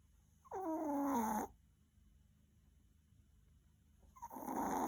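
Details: An exhausted Maltese dog after many walks snores in its sleep; a nasal, whistly snore of about one second sweeps down in pitch, then calm low hiss, and around four seconds later a breathier, noisier snore begins.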